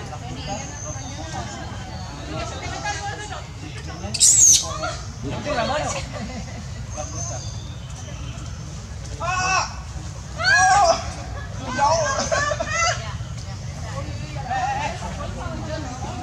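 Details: Baby monkey screaming loudly as its mother, April, tries to wean it: several shrill, arching harmonic screams in short bursts around four, ten and twelve seconds, over steady low background noise and faint voices.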